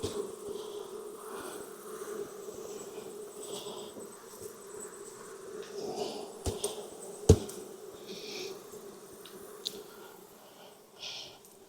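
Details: Honey bees at a hive in Texas, opened for inspection on a hot day near 92°F after weeks of rain. A loud, steady droning hum holds throughout, broken by a few sharp knocks and clicks.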